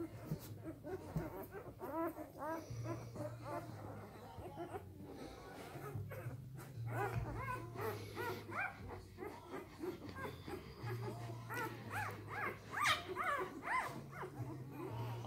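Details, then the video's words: Three-day-old Samoyed puppies of the A litter fuss with many brief squeaky whimpers and rustling movement, calls tumbling irregularly over a low humming background. "Samojedenwelpen 3 Tage alt"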